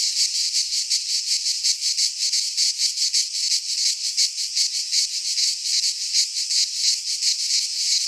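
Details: Greek cicadas in pine woodland during midsummer: an intense sizzling buzz, high and constant, throbbing several times a second in regular waves, with no birds or voices.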